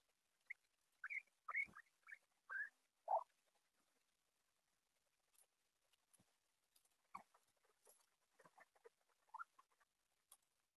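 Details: Guinea pigs kept together in a house: a burst of short, bright, rising-then-falling squeaks about half a second apart, followed by softer scattered squeaks and light rustling.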